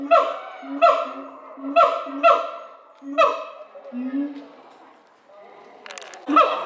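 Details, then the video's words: Captive siamangs at Chiba zoo, Japan, in May 2021, singing to each other as they mostly do in the morning: loud barking whoops with booming low notes, repeated about once a second, then a pause and a fresh bark. "Siamangs singing フクロテナガザルの歌声"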